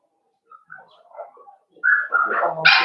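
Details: Playing Cavalier King Charles Spaniel puppies, raised indoors in a home pen: soft thin whines and squeaks, then a sudden louder run of rising whining yelps that ends in a bright, harsh bark-like burst.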